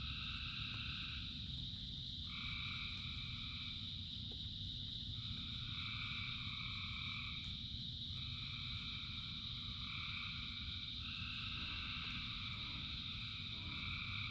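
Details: Chorus of thousands of frogs during rain. Stacked croaking notes arrive in irregular bursts lasting one to two seconds, layered above a steady shrill drone, with rain drumming as a dense low background throughout.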